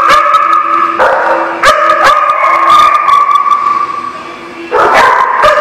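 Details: Several dogs recorded on 27 January 2018, sustained wavering howl-like tones running through the whole stretch, punctuated by sharp barks near the start, around one and two seconds, and again close to the end.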